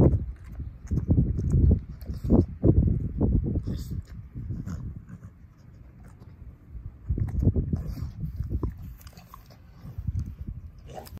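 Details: A dog, Ozzie, eating a pork steak, jaw crunching down on the bone; bursts of thick chewing at the start, a quieter lull, then another crunchy flurry before tapering to light gnawing.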